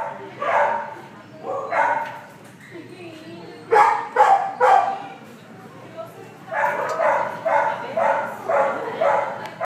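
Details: Male gold Labrador Retriever and Chow Chow mix, about one year old, kept at an animal shelter in Moreno Valley, California, in July 2015. Clustered mid-pitched barks, a brief pause, then a rapid run of six or seven barks, with a person talking nearby.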